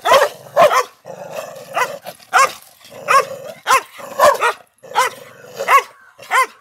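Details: Aggressive male Pandikona guarding a farmhouse, barking loudly in irregular bursts of one or two deep, ringing barks, with a low droning hum between barks.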